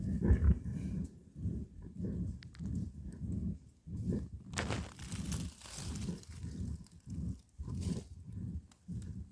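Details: Badger in a fight, giving deep throaty grunting growls in a steady pulsing series, roughly two per second, with a burst of rustling scuffle noise midway.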